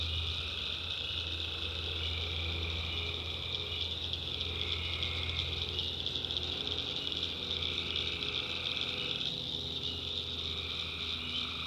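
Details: In a North Carolina backwoods swamp at night, many tree frogs call together: a dense high chorus with lower sustained tones fading in and out over a noticeable low hum.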